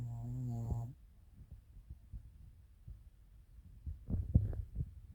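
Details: Chiroru, a female Maltese-Shih Tzu cross born 22 July 2017 (Maltese father, Shih Tzu mother), snoring indoors on 1 March 2024: a low droning, harmonic snore lasting under a second, then faint irregular low thumps and a rougher snorting burst near the end.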